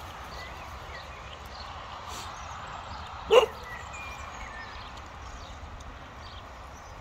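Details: Casper, a pet Cocker Spaniel, reacting to a tiny snowman in a park with his tail wagging: a single abrupt bark midway through, otherwise quiet outdoor ambience with faint high chirps.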